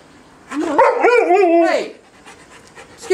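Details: Four-year-old Alaskan Malamute indoors 'talking': a drawn-out, wavering howl-like moan rising and falling over about a second and a half, with a person speaking to the dog before and after.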